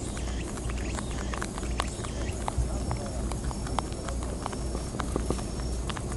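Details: Several wild European rabbits on Okunoshima (Rabbit Island), Hiroshima, chew timothy hay close by, making quick, crisp crunching clicks that patter irregularly over a soft low rumble.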